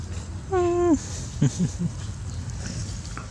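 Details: Baby dog kept at home: one steady harmonic whine lasting about half a second, dipping at the end, then a few short low grunts over a constant low rumble.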